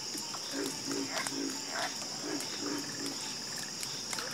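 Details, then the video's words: Croaking frogs in chorus: a run of low, rhythmic croaks about three per second, overlapping calls from other frogs and a faint rapid trill, all over a steady high-pitched hum. "Calming Sound Of Harmonious Frog Croaking"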